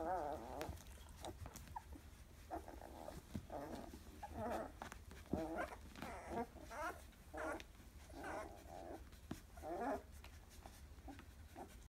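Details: Litter of Labrador Retriever x German Shepherd puppies, 14 days old, making faint, wavering squeaks and whimpers in short bursts over a low constant hum.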